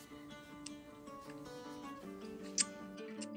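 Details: Acoustic guitar music plays steadily with plucked, strummed notes and no animal voice heard.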